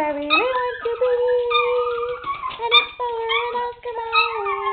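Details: Two chihuahuas howling along to the Oscar Mayer Wiener song indoors: long sustained tonal howls that rise, hold and waver, with overlapping voices and faint background music.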